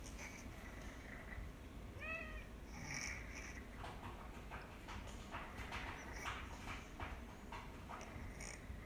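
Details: Domestic cat whose nasal stenosis returned after eight comfortable years following treatment; steady hoarse, snuffling breathing throughout, a brief stacked meow-like cry at two seconds, then repeated harsh breathy bursts.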